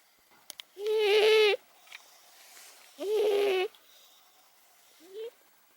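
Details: Momo, an 18-year-old pet cat under medication and fluid therapy, screaming after snoring at night: two long, loud wavering yowls, then a short rising cry near the end, with faint clicks in a quiet room.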